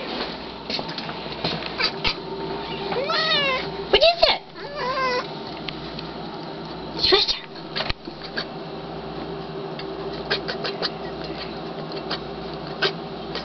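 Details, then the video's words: Black pet cat watching outside and upset, gives repeated quavering, warbled trills in quick succession, then a sharp higher chirp and sparse clicks, with a low steady hum in the room. "funniest cutest black cat Sylvester makes weird creepy noises"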